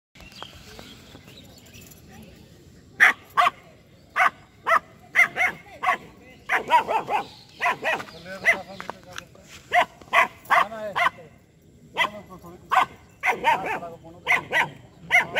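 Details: Two-month-old female German Shepherd puppy in attacking mode, barking aggressively at a street dog and a buffalo: sharp, short barks in irregular bursts, sometimes doubled, after a quiet opening, with people's voices and laughter nearby.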